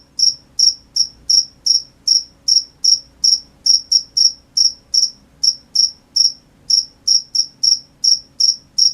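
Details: Steady nighttime cricket chirps, high and piercing, arriving about two to three per second in an even rhythm, with only a quiet low hum behind them.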